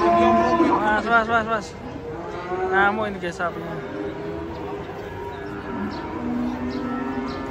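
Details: Several cattle moo loudly while being unloaded from a truck, one trodden on by another animal. Strong rising-then-falling bellows early on, then quieter, lower moos overlapping in the background.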